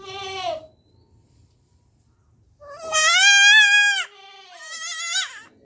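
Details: A baby goat gives a short bleat, then two longer, quavering bleats.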